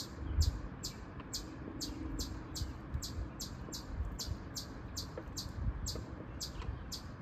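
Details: A noisy chipmunk calls in a steady series of bright, high chips, roughly two per second, against a low rumbling background.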